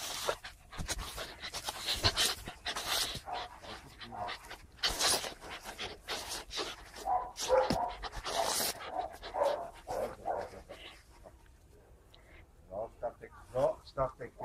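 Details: Bergamasco Sheepdog panting: quick, rhythmic, breathy huffs in a steady run for about twelve seconds, then easing into softer, sparser breaths near the end.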